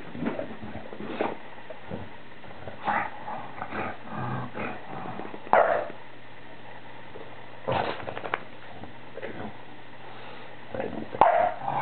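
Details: Kingston, a pet bulldog, during his nightly ritual right after the household finishes eating, spinning in circles for about five minutes; short rough growling bursts scattered irregularly across the recording, with scuffling and patter against a low steady indoor hum.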